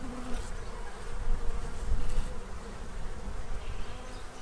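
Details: Droning buzz of bees feeding to get ready for winter in Central Illinois, a steady hum over strong low-pitched rumble that peaks briefly in the middle.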